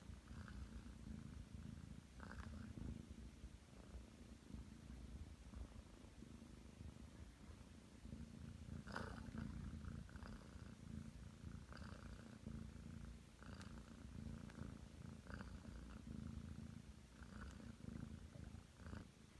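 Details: Ragdoll cat, nine months old, purring as it kneads next to its owner in bed; the low, continuous rumble pulses with each breath, overlaid by occasional light clicks and fabric rustles.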